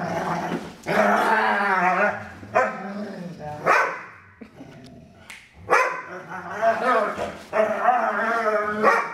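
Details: Stella, the bigger of two foster dogs, making strange play noises while wrestling with Maddie. Long harmonic groaning howls and growls rise and fall in several loud bouts separated by short quiet gaps.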